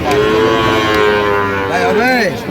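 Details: Sahiwal cattle at a busy cattle market near Dhaka, Bangladesh, on 3 October 2025, where bull calves are being traded. One long, steady, harmonic moo is followed by a short arching, bending call, with people bargaining in the background.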